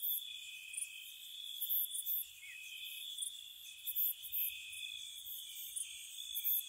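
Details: Spring night at a cottage, crickets gently chirping: a continuous shrill hum sits beneath short, very high chirps that come in loose groups roughly every second or so. No voices or other animals.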